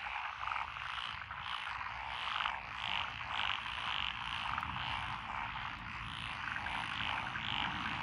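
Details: Rural lotus rice paddies in Echizen, Fukui, Japan, June 2021, alive with tree frogs, pond frogs, wrinkled frogs and green tree frogs: loud overlapping croaks repeating roughly twice a second in uneven pulses over a low background rumble.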